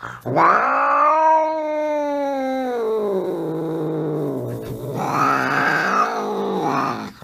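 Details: Angry cat letting out a long, wavering, nasal yowl that holds steady, sags lower, then swells into a second rising wail, all rich in harmonics with no other sounds.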